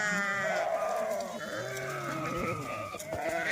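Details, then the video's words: Several goats being grazed by Dhangar herders bleat in overlapping, nasal, trembling cries, one clear bleat early on followed by a steady murmur of flock calls and rustling. "बकरी आलो चारायला"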